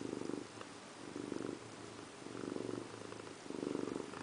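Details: House cat resting in a bathroom sink while bathing, purring steadily in low rumbling pulses that swell and fade about every second, four clear cycles, with no other sounds.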